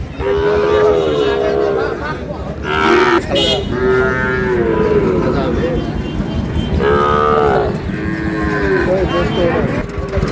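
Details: Sahiwal bull calves for sale at Dinajpur's Ambari market at the opening of trade, 11 May; repeated wavering moos come in separate bouts every few seconds amid constant market talk and price calls.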